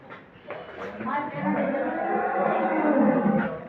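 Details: Holstein Friesian dairy cattle on a farm at Setabganj, Dinajpur, Bangladesh: a drawn-out, wavering low moo builds in strength over about two seconds, with a man talking over it.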